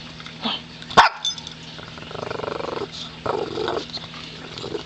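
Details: Pet dog begging for treats, giving low rumbling growls that pulse rapidly in two short bursts of about a second each, preceded by a sharp click.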